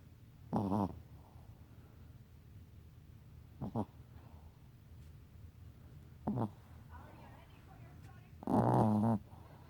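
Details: Sleeping pet Chihuahua snoring indoors: four short rasping, throaty snores spaced about two to three seconds apart, with quiet room tone in between.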